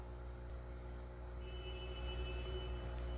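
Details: Steady low electrical hum with a faint thin high tone entering halfway through.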